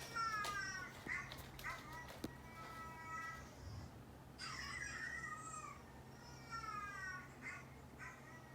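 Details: Indoor domestic cats, an orange tabby male aged two and a brown tabby male of about three, both neutered, react to a dog's barking. Short sliding meows come first, then a louder harsher burst and more falling cries, over a low hum.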